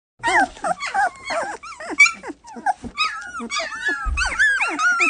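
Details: Several Samoyed puppies crying together in overlapping high, wavering whines and short yelps, some rising then falling, coming in quick uneven bursts over about five seconds.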